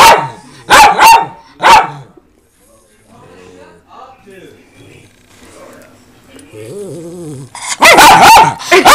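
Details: Rescued pet dogs, four Miniature Pinschers and a fawn Doberman, bark in loud bursts: a quick double bark and a single bark at the start, a quiet stretch with soft speech, then a dense flurry of barks at the end.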